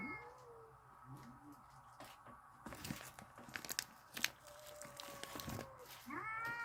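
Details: Cats outside in a backyard, described as mad and ready to fight, give drawn-out wavering yowls at the start and a rising, bending yowl near the end, with rustling and clattering noises between.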